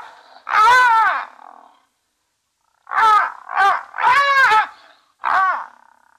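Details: At Safarihoek Lodge in Namibia's savannah near Etosha National Park, one of three brown hyenas on a live camera gives loud, harsh, harmonic yelps: a long wavering cry, a pause, then four quick squealing bursts in close succession.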